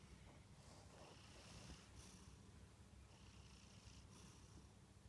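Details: Munchkin cat Kantarou asleep, snoring in a quiet room; two or three airy, hissing breaths roughly two seconds apart ride on a low continuous rumble.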